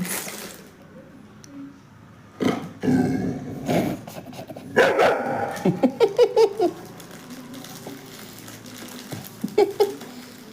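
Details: A female pet Labrador named Lolo begs for biscuits and cookies after hearing them being taken out. She gives short, whiny yelping barks in clustered bursts, with quiet indoor pauses between them and faint human sounds.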